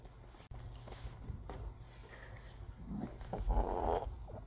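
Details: Shih Tzu dog named Yejju burping indoors after eating kibble quickly; a short, low, gurgling belch swells near the end, preceded by soft snorting and a brief click, in a small quiet room.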